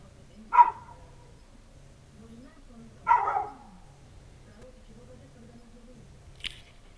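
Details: Village dog waiting for its owner on a winter night, 3 January 2017: two separate loud barks about two and a half seconds apart, a faint low hum underneath and a brief sharp click afterward.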